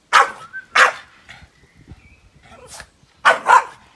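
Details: Boston Terrier barking at a grill fire, giving two loud single barks, a quiet gap with soft background sounds, then a closing double bark.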